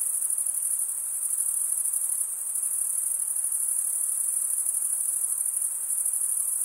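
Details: Stridulating crickets make a continuous piercing chorus, very high and steady. There is a brief slight dip in loudness midway, then the trill runs on evenly over a quiet background hiss.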